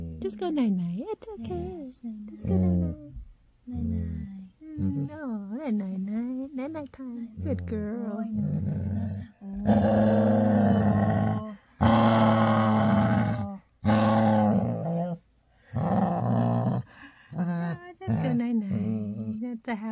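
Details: Female Labrador retriever giving her loud daily happy growl before bedtime indoors: drawn-out throaty rumbling grumbles, rough and roaring in the middle stretch, broken by pauses, while a woman softly repeats "night night" and "good girl", with light music.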